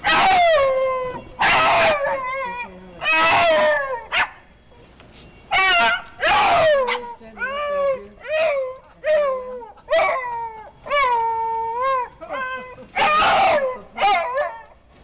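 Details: Hound dog singing along with wind chimes: long, harmonic howls lasting one to two seconds, each gliding downward in pitch, repeated in a series with short gaps, with high, faint chime tones ringing in the background.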